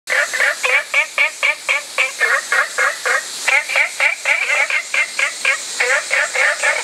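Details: Olive frog calling in a rapid series of short nasal, harmonic notes, about four per second, grouped in uneven bursts with brief pauses, over a steady high hiss.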